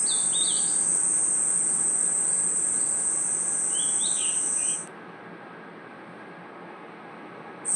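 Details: Forest crickets and insects chirping at night: a continuous shrill drone, with scattered short chirps, stops abruptly after about five seconds, leaves a quieter hush, then returns right at the end.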